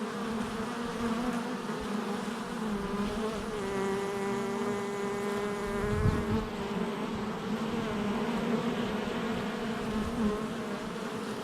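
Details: Steady droning of many honey bees around their hive entrance, recorded July 22nd, 2024; layered humming tones, one louder bee passing close near the middle with a brief rising and falling whine.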